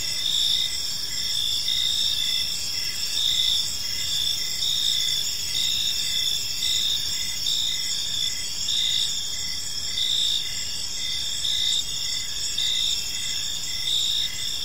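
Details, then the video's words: Evening park crickets keep up a dense high-pitched chorus, short chirps repeating rapidly and unevenly over a constant ringing trill, with no other clear sounds. "Park Serenade: Cricket Sounds in a Peaceful Park | Evening Ambience"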